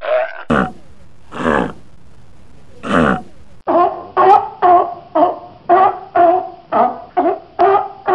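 Sea lion giving harsh, honking barks: three spaced calls, then a fast run of about ten barks roughly every half second.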